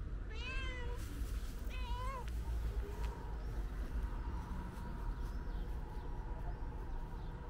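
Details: Calico stray cat meowing loudly, apparently trying to communicate; two strong arched meows near the start, followed by faint quieter sounds and a speaking voice, over a steady low rumble.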